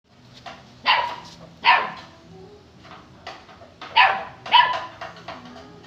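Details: Saint Bernard puppy barking: five or six sharp, high-pitched barks in about six seconds, spaced irregularly, with the loudest pairs near the start and the end and quieter yaps between.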